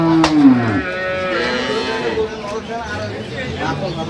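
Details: Dairy cow of an improved milking breed at Ambari cattle market, Dinajpur, held with calves; a single falling moo in the first second, then a loud hum of voices and market bustle.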